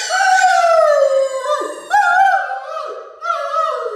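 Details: Dog howling: a drawn-out, wavering tone that slides downward, breaks off, then rises again in two shorter mournful howls, each with a rich ringing overtone.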